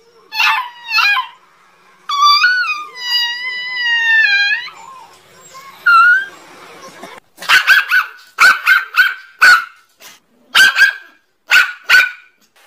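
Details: Angry dog barking: a couple of short yelps and a drawn-out wavering whine open the recording, then come rapid bursts of sharp, high barks, several per second, separated by brief silences.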